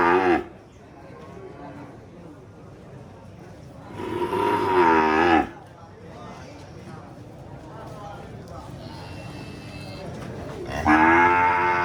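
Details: Cow lowing, two loud, long harmonic moos about seven seconds apart, with quieter low grumbling noise in between.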